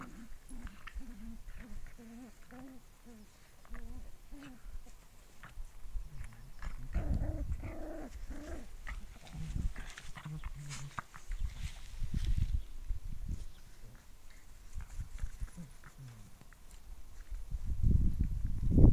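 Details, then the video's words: Six-week-old Cavalier King Charles Spaniel puppies: a run of short, wavering, nasal whimpers in quick succession, followed by scattered soft grunts, squeaks and low rustling handling noise, ending with a louder muffled bump. "Cavalier king Charles Spaniel valpar 6veckor"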